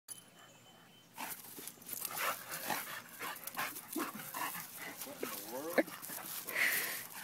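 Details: Dogs at playtime: after a quiet opening second, scuffling and panting noises, then short whiny vocalizations with wavering rising-and-falling tones, with faint human speech in the background.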